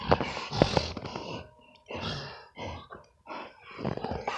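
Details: XL American Bully dogs wrestling in the snow in winter, giving rough, low grunting and growling bursts in irregular clusters, about two a second, with brief pauses between bouts.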